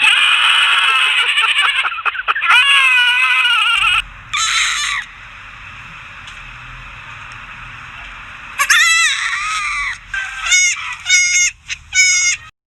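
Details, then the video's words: Goats calling for popcorn: high, quavering bleats in bursts at the start, a quieter stretch with low background hum, then a run of shaky, wavering bleats near the end. "Cute goats making noise for popcorn"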